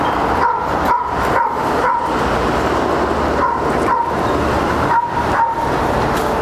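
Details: Flat-backed German Shepherd mother Shunshun and daughter Xiaowang meet again after a year apart, sniffing to get acquainted; short high whines and yelps come in bursts roughly every half second over constant background hiss.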